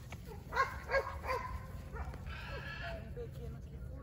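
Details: Border Collie puppies, 49 days old, from a German sire and Russian dam, filmed 7 June 2022: three short, high harmonic yips about a third of a second apart, then softer squeaks, with a person's voice coaxing them and low background rumble.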